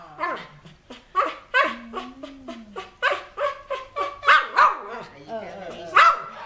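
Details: Pet dog in Chonburi, Thailand, greeting a returning family member after nearly two years apart, making talking-like vocal sounds: rising and falling whines and yelps in a steady run, one long low moan, a person speaking at times.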